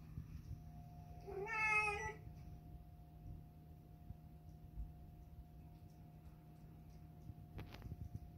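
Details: Persian cat eating chicken and liver food gives a single brief, bright, baby-like mew under a second long, high and harmonic. Quiet afterwards apart from a low background hum and a sharp click near the end.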